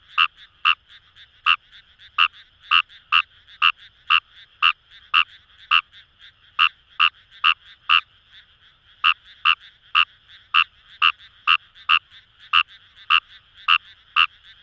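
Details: In paddy fields near the Kamo River, Itoshima, Fukuoka, Japan, a wild Fejervarya kawamurai croaks in a fast run of harsh clicks, about two per second with a short pause midway, over a faint background chorus.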